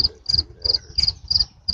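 A cricket gives pure, high-pitched chirps, about three each second, in a steady rhythm.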